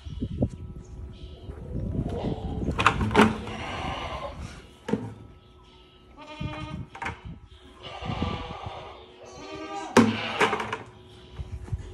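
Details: Goat stuck in a bucket, giving wavering, harmonic-rich bleats in short bursts between clattering knocks, while a man speaks to it in a puzzled tone.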